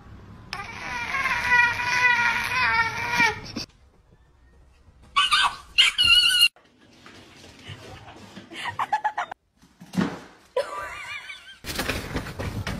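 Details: Cat calling early in the morning indoors in a small room: a long, wavering, harmonic yowl lasting about three seconds, then short bursts of human talk and laughter, scraping noises and a final loud noisy burst.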